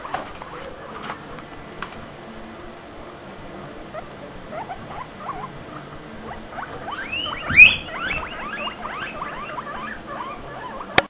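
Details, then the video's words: Three pet guinea pigs squeaking: scattered soft squeaks at first, building after seven seconds into a quick run of rising, whistle-like squeals, with a sharp thump midway and a click at the end. "guinea pigs squeeking"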